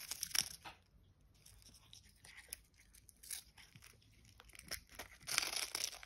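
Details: A cat eating smelt fish, recorded close up as eating ASMR: crisp crunching and tearing bites in irregular bursts, loudest at the start and in the final second, with quiet gaps between.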